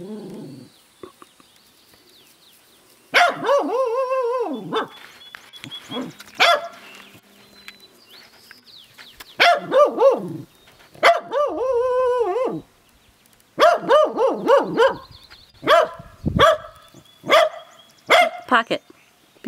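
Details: A female Welsh Corgi, bemused by a new barn kitten, lets out bursts of high, ringing barks, some drawn out into yelping arcs.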